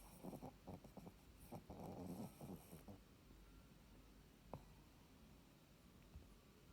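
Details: Shih Tzu dog sleeping with eyes open, giving short raspy snoring bursts in the first three seconds, followed by quiet breathing and a single click.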